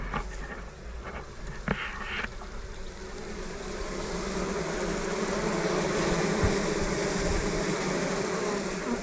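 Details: Honey bees in a full Dr Leo's Layens hive inside an observation bee barn, a colony ready for splitting: a steady, dense droning hum rises and holds, with a few brief knocks and clicks in the first seconds.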